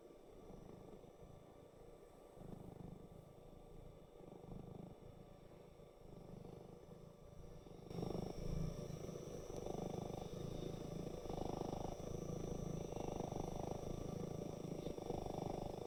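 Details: Black cat purring while its chin is stroked by a warm hand, looking satisfied; a low, steady rumbling pulse runs throughout, growing louder in the second half over faint household background noise.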